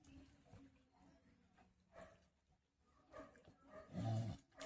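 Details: Village cattle, a large mother cow kept with her calf on a farm. A short, low, rough moo swells up near the end, against a steady background of rustling, handling noise and faint voices.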